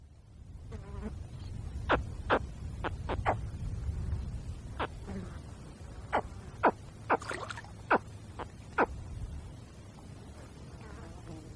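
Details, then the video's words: Wild crocodile (spectacled) caiman cub calling: short, sharp chirps repeated irregularly, about a dozen over eleven seconds, some in quick pairs, over a low rumbling background hum. "A crocodile caiman cub makes sounds in the wild"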